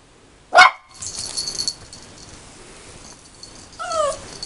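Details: A 13-week-old male puppy barking at his own reflection in a mirror indoors: one sharp, high yelping bark, a pause of rustling and movement, then a second rising whine-like yip near the end.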